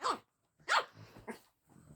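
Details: Luna, a pet dog, barks at fellow dog Daisy for the first time, three short sharp barks about half a second apart, with quiet grumbling between them.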